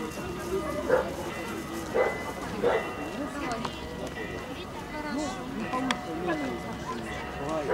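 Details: Young male Central Asian Shepherd Dogs at a dog show in Luhansk on 16 May 2009 give deep, abrupt barks in short bursts amid crowd chatter.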